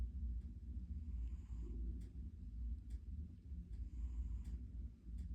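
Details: A kitty asleep and snoring, deep low rumbling broken by faint airy breaths about every three seconds.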